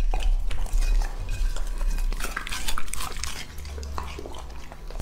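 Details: Lucky, a male English-type Labrador aged two and a half, eats. Wet chomping and crunching mix with clinking bowl or dish sounds and low thumps.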